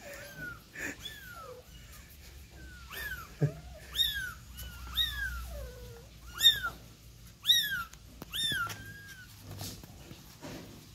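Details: A kitten that was taken outside and brought back in with its mother gives high, thin, falling meows about once a second, with a deeper adult meow among them.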